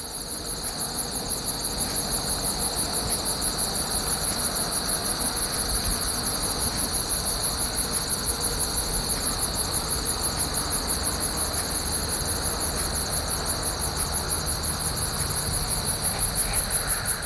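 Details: Loud chorus of crickets: a steady high-pitched ringing band with a rapid, shimmering pulsed trill above it, running continuously over a broad rumbling background noise.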